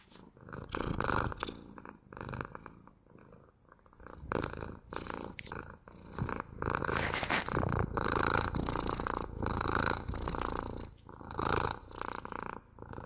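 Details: Loud continuous cat purring with rapid rhythmic pulsing, quieter for the first few seconds, then a sustained strong rumble broken by short dips as the animal breathes.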